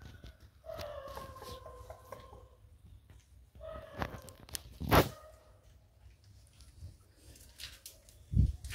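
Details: Labrador Retriever puppies at play indoors: a run of thin, wavering harmonic whines lasting around two seconds, then a brief yelp-like note, among scuffles and knocks.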